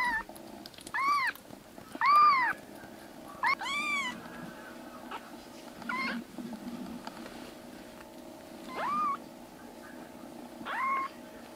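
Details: Three foster kittens, black rescued brothers now meowing loudly as they regain health and roam the room. About eight meows over eleven seconds, the early ones loud and arched, the later ones shorter and softer, with a constant indoor hum.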